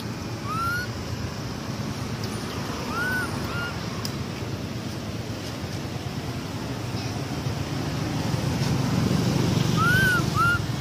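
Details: Baby monkey Amara, bitten and crying as she calls for her mother: a few clear rising-then-falling whistled wails, spaced several seconds apart, over a steady low rumble of outdoor noise.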